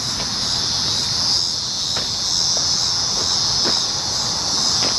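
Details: A dense, sizzling cicada chorus from 19 July 2019, a constant high whine that swells gently, punctuated by several brief sharp snaps.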